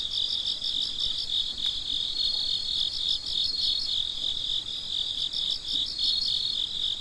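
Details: Midnight cricket chorus: dense, high, rapidly pulsed chirping from several insects overlapping, one layer steady and another beating in quick bursts, with a brief faint tick near the start of the second second.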